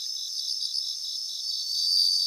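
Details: Many bell crickets sing together in a grassland in Japan, a shimmering mass of high rhythmic pulses and thin ringing notes that grows slightly louder toward the end.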